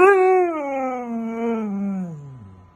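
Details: Siberian Husky screaming in protest at not going out: one continuous loud harmonic howl-scream, starting high, then gliding gradually downward with slight wavers for nearly three seconds before fading.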